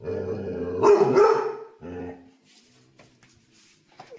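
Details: A dog from a compilation of funny barking dogs gives one loud, harsh bark after a low rumbling lead-in, then a shorter second bark before faint background noises.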